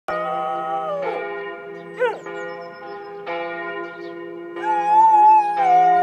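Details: George, a Border Collie, howls like a wolf along with church bells in Tiergarten, Berlin, the first time he has done so. His wavering, drawn-out tones rise and fall over the steady ringing bells, with a brief sliding yelp near the middle.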